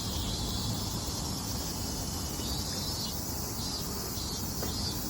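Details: Summer chorus of Minmin cicadas on 18 August in late afternoon, 17:04: continuous high-pitched buzzing without breaks, laid over a strong low-frequency rumble of ambient noise.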